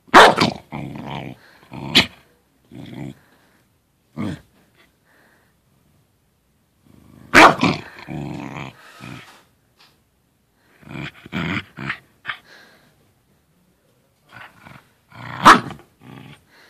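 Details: Indoors, a Corgi plays with his little tennis ball in a small corner, letting out clusters of throaty growls broken by sharp barks, with quiet pauses of several seconds between the bursts.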